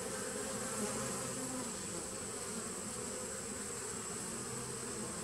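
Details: Buzzing drone of a 2017 honey bee nuc on 19 September 2018, an even wall of humming with a low pitch band that flickers in and out beneath steady background hiss.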